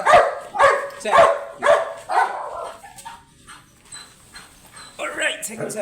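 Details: Teacup chocolate Pomeranian dog at a stud service in Pugaro, Manaoag, Pangasinan, giving a steady run of about five sharp barks roughly every half second, then a quieter stretch and a brief burst of human voices near the end.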